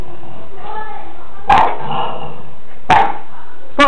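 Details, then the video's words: French Bulldog in Portici, Italy, barking at a black balloon: short, sharp barks spaced about one and a half seconds apart over a steady hum, with faint voices in the background. "French Bulldog Bono Vs Baloon"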